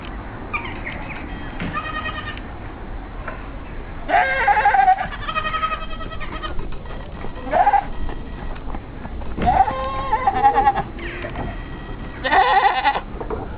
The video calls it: Goat making funny sound